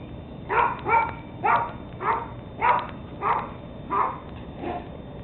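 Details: Rapid series of eight high, clipped yaps spaced roughly two-thirds of a second apart from 13-week-old Teddy Roosevelt Terrier pups, taken 17 October 2007, with a faint background hum.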